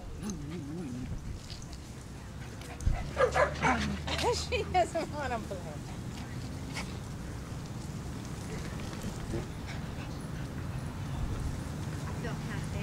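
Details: Dogs at a fenced dog park bark in a short burst of several sharp, rapid barks near the middle, while people talk throughout over steady outdoor background noise.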